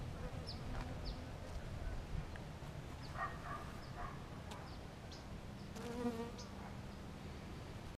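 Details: Honey bees searching for scents, faint buzzing hums drifting in and out over a loud low rumbling background, with one louder pass of a bee near the six-second mark.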